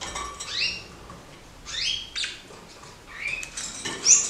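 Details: Pet kakariki pair in a roomier cage, acrobatic and curious: three clear upward-sweeping chirps, each sliding sharply from low to high, spaced about a second apart, with a light click at the end.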